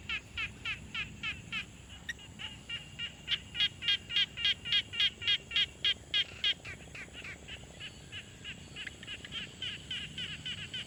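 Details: Quiet pond with frogs calling, recorded on a Tascam Portacapture X6: several overlapping callers give rapid pulsed notes, swelling into a loud, regular run of rattling calls midway before fading back into a softer chorus.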